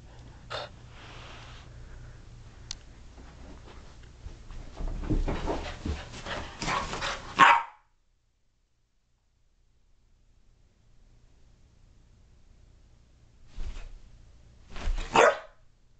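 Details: Dallas, a 5-month-old female boxer puppy, indoors during a burst of energy; loud, sharp barks ring out near the start, around seven seconds and again near fifteen seconds, with quiet rustling and a long silent gap between them.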